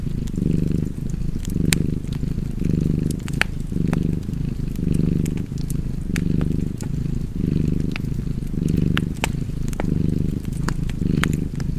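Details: Cozy domestic cat purring steadily beside a fireplace: a low rumbling purr that swells and fades roughly once a second with each breath, while sharp pops and crackles of burning wood sound over it.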